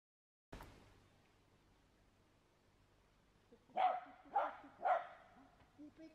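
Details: Shetland Sheepdog at an agility dog walk with running contacts: after a thud and a quiet stretch, three sharp barks come about half a second apart, followed by softer yips.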